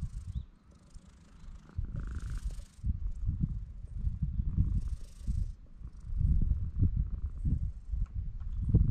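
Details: Stray cat greeting a visitor at a table bench on Cat Island (Tashirojima), Japan, filmed on GoPro HERO8; a close, deep purr that swells and fades in rhythmic waves, with occasional faint rustles overhead.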